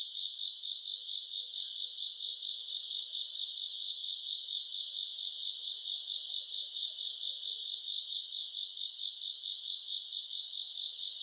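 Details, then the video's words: Night-time grass insect chorus from August in summer: many high trills merge into one continuous, fast-pulsing buzz at a constant pitch, with an intermittent faint upper ring. "풀벌레 소리 가득한 밤"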